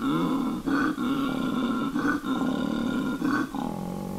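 A koala gives a deep, rasping, snore-like bellow. It drones continuously with brief catches of breath about every second, rough and growling in tone.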